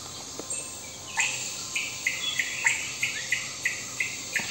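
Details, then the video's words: At Thommankuthu ecotourism centre, Idukki, Kerala, on 9 April 2021, a Malabar giant squirrel gives sharp, repeated alarm notes, about two or three a second, signalling people entering the riverside forest trail. A steady high buzz of crickets runs underneath. "Malabar Giant Squirrel is signaling about our entry to the forest."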